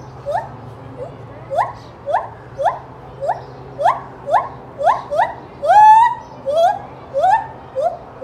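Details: At Knoxville Zoo, Tennessee, a gibbon gives a run of loud, rising whoops, repeated about twice a second.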